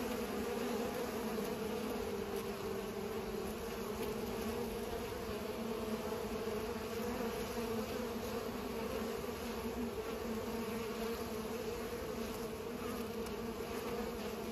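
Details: Bees pollinating fill the air with a long, even humming drone, many wingbeats merging into a steady buzz, with occasional faint ticks above it.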